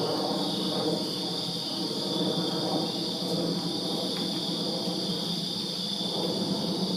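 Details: Summer-night crickets in a Virginia backyard give a continuous high, ringing trill chorus, steady throughout, over a low mid-range murmur of background noise.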